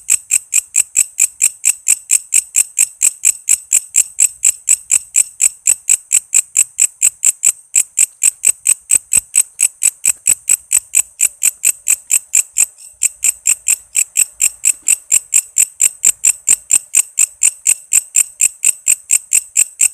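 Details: Energetic walang kece cicada song, offered as a model for cage songbirds like magpie robins and kacer: rapid, evenly spaced shrill buzzing pulses run on and on, with a couple of tiny breaks in the rhythm.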